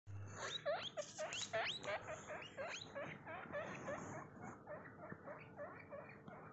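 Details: A baby guinea pig (Cavia porcellus) gives a rapid run of high, rising squeaky whistles, slowing and softening toward the end.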